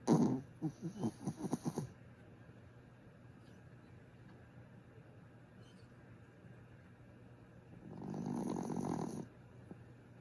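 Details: Griff, a sleeping pet dog, snores in two rough bursts: a series of quick rasping pulses in the first two seconds, then after a quiet pause a longer, steadier breathy snore near the end.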